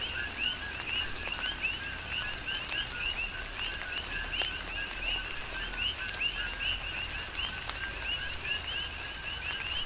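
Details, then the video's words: Coqui frogs calling in chorus during tropical rain on the Big Island, Hawaii; many overlapping two-note upslurred chirps form a steady, dense pattern over soft rain patter and occasional drip clicks. "Tropical Rain & Coqui"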